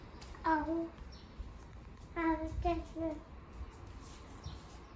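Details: Norwegian Forest Cat that senses its owner returning home and comes to meet them, giving a run of short, clear, tonal meows: one call, a pause, then three quick chirruping calls close together, in a quiet room.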